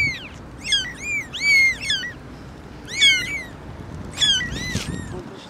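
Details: Four kittens with their mother cat: a run of thin, high-pitched mews, each rising and then dropping, given in quick bursts of two or three, then single calls after short pauses.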